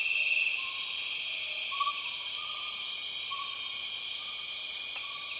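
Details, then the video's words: Empress cicadas calling in the Borneo rainforest, a constant piercing layered whine with no pauses, accompanied by faint thin whistles and a single sharp click near the end. "The weird sound of empress cicadas"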